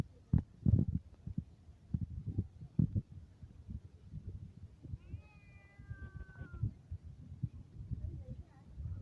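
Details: A domestic cat gives one drawn-out, slightly falling harmonic meow lasting about two seconds midway through. Frequent low thumps and handling or rustling noises fill the background.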